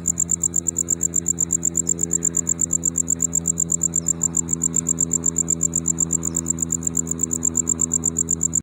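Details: A tropical house cricket (banded cricket, Gryllodes sigillatus) chirps high and fast in rapid even pulses over a low steady hum, possibly chirping fast because it is now their season.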